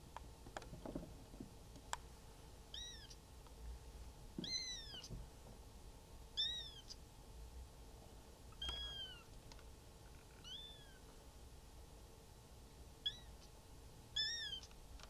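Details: Three-week-old cream Maine Coon kitten Natsumi at a Tokyo breeder's cattery mewing repeatedly, high thin arched cries roughly every one to two seconds, about ten in all, with faint clicks and a low steady hum.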